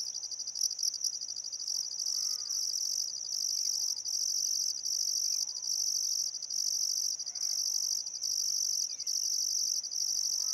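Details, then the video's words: Chirping crickets on a still summer afternoon at sunset beside the Barcoo River in Welford National Park, Outback Queensland: a continuous piercing high trill broken by tiny regular gaps, with faint bird calls underneath. "Australian Sunset Chirping Crickets"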